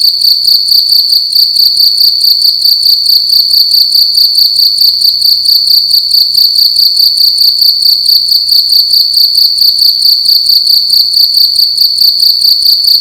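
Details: Loud cricket chirping inside a room during the night, a piercing high trill pulsing continuously at an even, fast rate, bright harmonics overhead, the room otherwise quiet.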